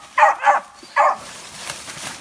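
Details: Dogs out hunting a manicou in the 2020-2021 season give three short barks, two close together then one more, fading into rustling background noise.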